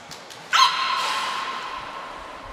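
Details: Captive beluga Niko in training at Port of Nagoya Public Aquarium, Japan, on 25 February 2024, makes one abrupt harmonic call. It starts sharply, then holds a steady, ringing tone that slowly fades over about two seconds.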